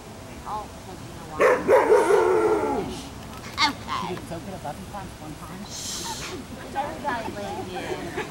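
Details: At a picnic, Afghan Hound Ava lets out a prolonged, wavering howl-like bark of about a second and a half, followed by people talking and a brief hiss of background noise.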